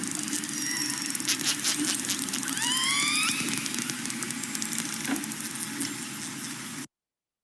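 Orcas trade rising, whistly squeals over a steady crackle of echolocation clicks.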